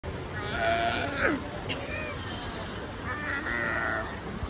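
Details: Seal. Seals call in harmonic, bleating moans that waver and slide downward, coming in two drawn-out bursts. A steady background murmur, possibly distant voices, runs underneath.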